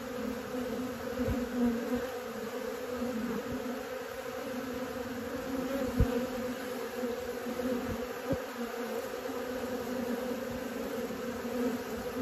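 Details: Honey bees learning to fly: a dense, even droning hum with layered bands, unbroken for the whole stretch, with faint taps now and then.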